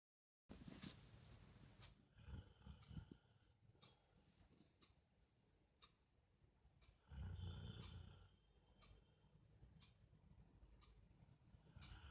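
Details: A Rottweiler snoring: low, rough, rumbling breaths that swell and fade in uneven bursts, the loudest near the middle. Sharp ticking clicks repeat about once a second throughout.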